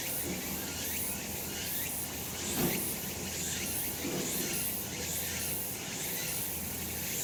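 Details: Cicadas calling on a sunny summer mountainside, a dense steady high-pitched buzzing chorus with faint pulsing swells about once a second, plus low rumbling background hum.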